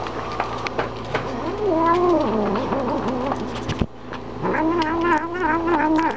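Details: Momma Kitty, a female domestic cat, warns dogs to stay away while she eats: drawn-out, wavering yowls that rise and fall in pitch, two long bouts split by a brief pause, in a small indoor room.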